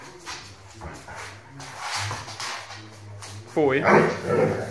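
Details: A person talks for several seconds before an 8-month-old Rhodesian Ridgeback puppy lets out a sudden loud, harsh, strained bark that slides downward into a whiny, yelping tail.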